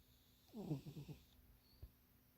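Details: Munchie the cat napping in a too-small box, one short snore: a downward-sliding harmonic rasp lasting under a second, then quiet room tone and a faint low thump.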